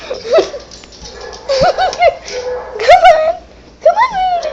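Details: Upset female pet dog reacting to barking sounds from an iPad in a room, with rapid, wavering high yips and whines that swoop up and down, overlapping with a person talking to her.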